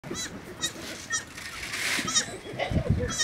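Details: A young goat kid on a farm calls for its mother with short, wavering, nasal bleats, repeated about once a second against a faint rustling background.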